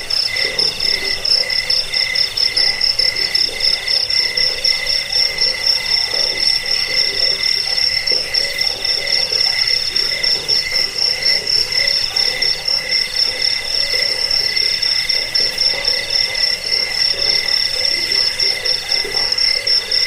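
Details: Cricket chorus, used to drive away rats, help sleep and tutor caged birds: steady shrill trilling in layered high bands, pulsing about four times a second, with softer lower pulsed notes underneath throughout.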